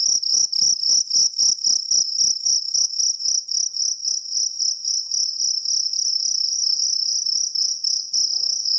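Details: Jangkrik kalung cricket calling: at first a rapid pulsed chirping, about four pulses a second, which smooths into a continuous shrill, high trill.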